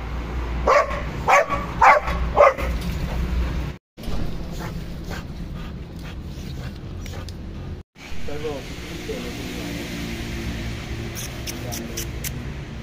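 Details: German Shepherd and Boxer dogs at home: a burst of loud, rapid barks in the first three seconds, then quieter whimpering and human voices with background hum.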